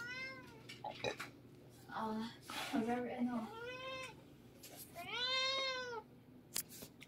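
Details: Siamese cats wrestling noisily indoors at a home in the Philippines give loud, arching, harmonic meows, three long drawn-out cries rising then falling in pitch, with people talking and background music in between.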